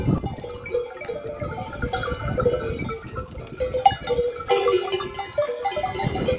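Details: Arab sheep flock with bells roaming a desert, blocking a road; wavering bleats rise and fall among steady bell tones, with music playing underneath throughout.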